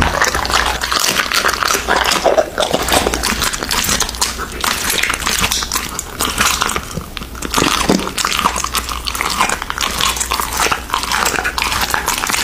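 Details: Indoor eating by an American Bully dog on raw meat: repeated crisp bites and wet tearing crunches in irregular bursts, loudness rising and falling every second or so.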